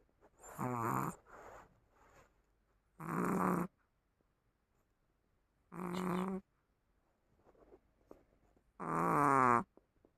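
A sleeping Chihuahua snores in loud, rasping bursts roughly every three seconds, with quiet pauses between.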